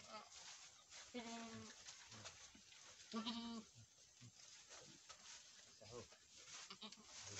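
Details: Boer goats on a farm in Nepal where a first-time doe has just given birth to a male kid: two harmonic, nasal bleats about two seconds apart, the second louder, with human voices talking in the background.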